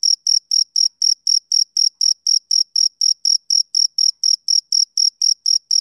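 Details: Rhythmic chirping of a male cricket: brief, sharp high-pitched pulses with a faint higher overtone, close to four each second, steady and unvarying, nothing else audible.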